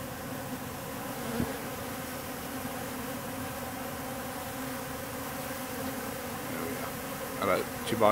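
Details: Wild bees swarming in October at an industrial wall in an industrial district, with thousands of drones present: a steady, dense droning hum with layered tones that holds evenly throughout, with a few sharp clicks near the end.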